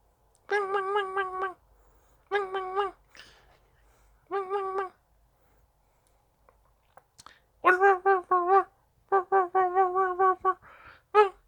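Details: Dachshund pleading for play indoors, giving wavering, pulsed whines in short bursts, each broken into quick rapid wobbles, three early groups, then a pause, then a denser run of warbling whimpers near the end.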